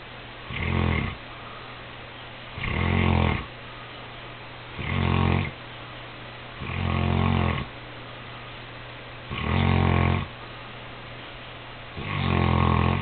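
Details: Saint Bernard named Cody sleeping the night before Christmas, giving six short, low, rattling snores roughly every two seconds, steady and rhythmic, with faint room hiss in the pauses.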